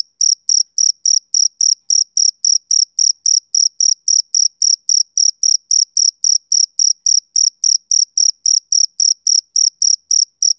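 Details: Male cricket on a summer evening giving a monotonous, high, ringing chirp, pulsed about three or four times a second in a regular beat against silence.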